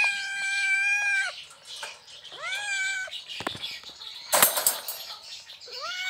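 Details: Asian leopard cat in Indonesia wanting to mate gives drawn-out, meow-like yowls, each rising then holding steady, calling for a mate.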